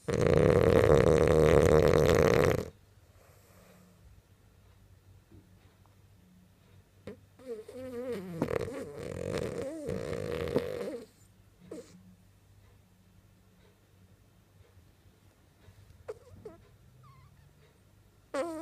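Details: French bulldog asleep and dreaming: a loud, coarse rattling snore for the first two and a half seconds, then a quieter wavering snort and breath around eight to eleven seconds, with soft room hush between.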